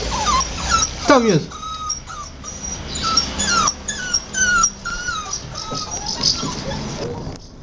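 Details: Two six-week-old puppies whimper and squeak in short, high, wavering whines that bend up and down, several per second in bursts, while a person talks softly nearby.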